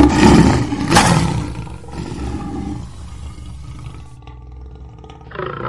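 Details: Lion with a loud, coarse roar at the start, including a sharp peak after one second, then a long fading, low rumbling growl with a brief swell at the end.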